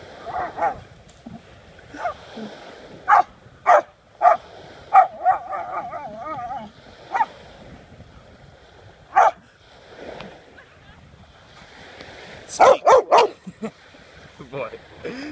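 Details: A Rottweiler, urged on to "get it", gives loud, irregular barks with a brief wavering whine between them as it confronts an unidentified object.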